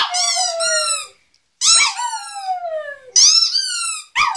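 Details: Pet Lhasa Apso dog howling indoors alongside its squeaky toy: three drawn-out, falling, harmonic wails, each about a second long, with shrill squeaks layered on top and brief silences between.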